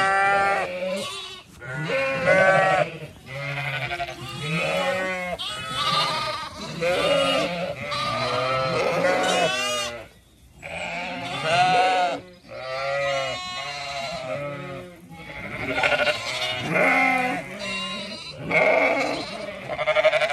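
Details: Zwartbles sheep on a County Kilkenny farm in Ireland, moving through a blooming orchard at evening; a chorus of wavering, harmonic bleats in bursts of one to two seconds, several animals calling over one another.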